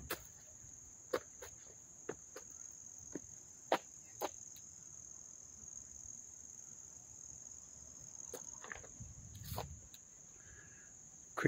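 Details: Nearby crickets in Dobbs Ferry, NY, on 29 August 2024 keep up a continuous high-pitched trill, while isolated sharp clicks and a soft low rustle come and go.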